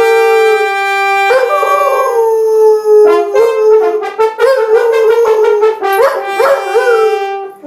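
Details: Poodle singing in a duet with a French horn player, its wavering howls blending with sustained horn tones, the pitch sliding and pulsing in long drawn-out notes throughout.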